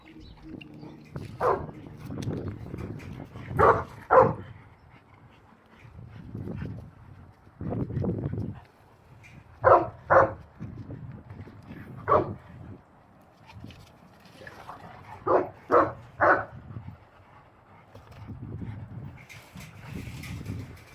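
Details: Boerboel at the Abafana Bomlungu Boerboels kennel giving loud, deep barks, some single and some in quick pairs or triplets, spaced a few seconds apart, with low rumbling sounds in between.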